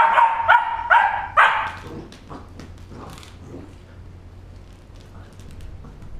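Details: Playful three-month-old Border Collie puppy lets out three or four quick high yapping barks in the first second and a half, then quieter scuffling and soft sounds follow over a low background hum.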